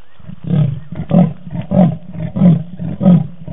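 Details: Leopard Tingana, filmed with Thandi on the Djuma cam on 20 November 2018, sawing: six deep, rasping strokes in a steady rhythm, roughly one every 0.6 seconds, each a coarse in-and-out grunt like a saw through wood.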